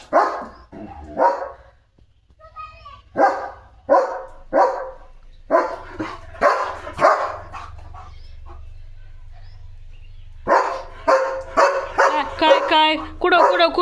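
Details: German Shepherd named Leo, a household pet in a playful mood with a slipper, gives a string of short barks roughly every half second, falls quiet, then resumes with a faster, rougher burst of barking.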